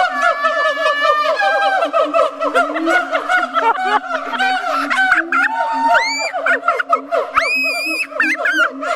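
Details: Siamangs give loud, overlapping hoots and barks, breaking into fast rising whoops that climb steeply in pitch, recorded at Riverbanks on October 4, 2010.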